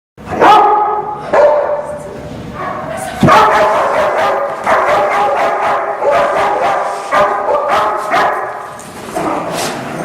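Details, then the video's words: Bernese Mountain Dog during protection training, barking in loud, harsh bursts, some short and sharp, others longer and overlapping, with brief gaps between the volleys. "protection bouvier bernois, mountain dog"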